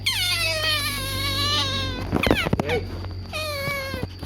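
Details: Otter begging for food with a long descending scream, a few clattering knocks, then another falling squeal, over a low steady hum.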